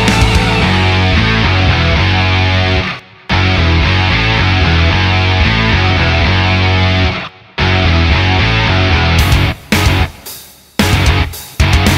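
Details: Loud heavy rock music with distorted guitars and drums plays throughout, broken by short gaps, with no animal heard.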